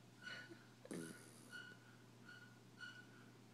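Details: A dachshund that has just fallen asleep snores with thin, whistly nasal tones repeating about every half second.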